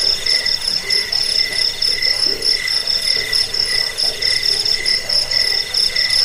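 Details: High, metallic cricket trilling, meant for scaring off rats, helping sleep and teaching birds to sing: continuous buzzing pulses roughly every second, layered calls from more than one insect.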